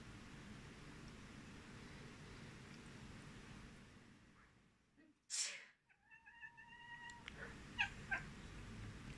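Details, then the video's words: Rosie the cat reacting to a person sneezing while she sleeps: a loud broadband sneeze burst after near silence, then a short harmonic meow with a steady pitch, followed by faint soft sounds over room hum. "Cat react to sneezing"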